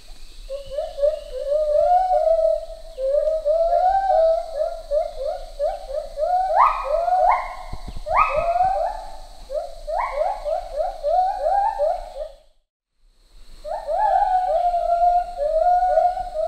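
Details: Male and female lar gibbons duetting to build social bonds, their notes synchronised at regular intervals; swooping rising whoops repeat steadily, then climb into a fast, higher-pitched run of ascending notes before a brief silence and renewed whoops.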